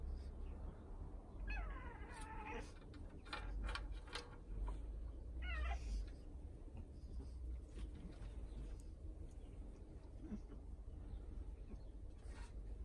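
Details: British Shorthair cats in an outdoor summer cat house, in the morning: two short rising-then-falling meows a few seconds apart, over a steady low rumble of wind and outdoor background noise.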